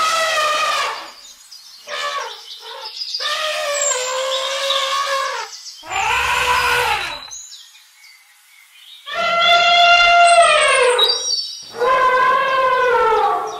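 An elephant trumpets in a series of loud, brassy blasts, each lasting one to two seconds.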